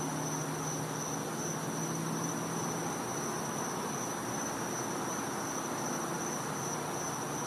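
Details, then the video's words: Cicadas in a Florida home's back yard at night during winter, a sustained high-pitched buzzing whine over hissing ambience and a faint low rumble. "Cicada Sounds"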